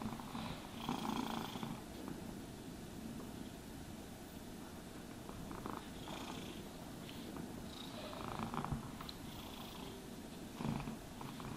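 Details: Cat being brushed and groomed, purring steadily; a constant low rumble accompanied by repeated soft bristle strokes every few seconds.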